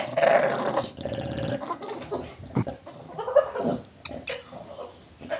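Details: Indoors, Tulip the bulldog lets out a loud gargling growl that breaks into choppy throaty pulses, then a second rising snarl and quieter rumbles, as she growls, snarls and gobbles like a turkey.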